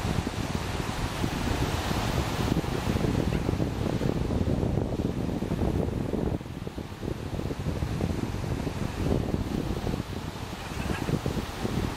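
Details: Steady wind rumble and surf wash with no animal calls heard.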